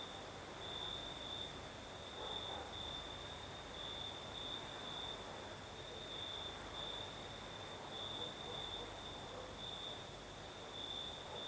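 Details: Night chorus of crickets in Crimea during a night breeze, a continuous high-pitched trill swelling into brighter pulses at irregular short intervals over a steady airy hiss and low rumbling background.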